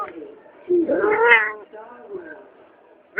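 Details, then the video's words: Pet cat making weird noises: a drawn-out, wavering, meow-like cry that rises then falls, followed by a softer, lower murmur and a sudden sharp start of another cry at the end. "my cat makes some weird noises"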